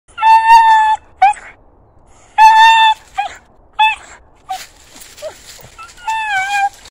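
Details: A 14-year-old Patterdale Terrier squeals with excitement at a deer, the first time he has made this sound: long, high, steady whines that break into short yelps in uneven bursts, with a few wavering, sliding cries near the end.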